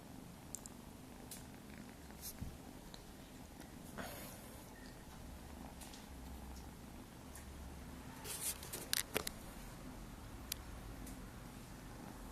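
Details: Nine-week-old Maine Coon kittens purring: a continuous deep rumble throughout, overlaid by scattered clicks and brief rustling or handling noises, with a small cluster of sharper taps near the end.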